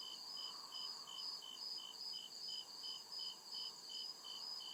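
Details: Crickets in the woods after dark give crisp, repeated high chirps, about ten evenly spaced pulses in under five seconds, backed by a constant piercing drone and faint low background murmur.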